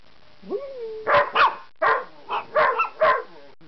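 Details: ['Pet dog howling in response to other dogs that are howling at sirens; a short rising tonal howl opens, followed by a run of about six loud, harsh bark-like yelps spaced irregularly over three seconds.']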